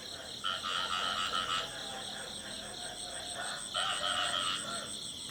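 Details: In the field, a male frog sings rapid pulsed trills in high double-banded bursts, pausing midway, then resuming, over a background chorus of similar calls.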